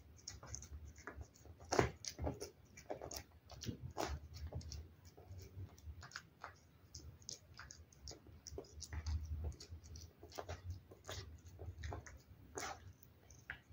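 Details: Cat chewing wet food in a close-up eating recording: a steady stream of sharp, moist clicks and licks, irregular and dense, with an occasional louder bite and a soft low rumble beneath.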